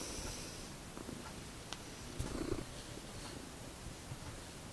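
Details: Pet domestic cat, one of two cats named Magic and Sooty, around feeding time; a soft, continuous low purring rumble fills the stretch, with a brief rustling burst near the middle.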